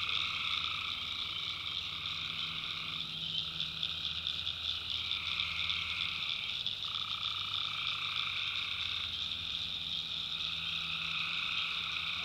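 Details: Swamp at night in the North Carolina backwoods, alive with tree frogs: a constant piercing trill from a crowd of callers and a lower buzzing band that steps up and down every few seconds. Soft low rumble beneath.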